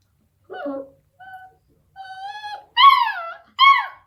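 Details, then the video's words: Eight-week-old Beagle puppy vocalizing at a deaf cat: thin whimpers and a held whine that break into two louder, higher yelping barks at the end. "beagle puppy barking at deaf cat"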